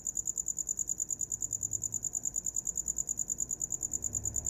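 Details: High, sharp cricket chirps repeat at an even pace, about two to three per second, with a faint low hum in the background; shared as a relaxing sound for falling asleep.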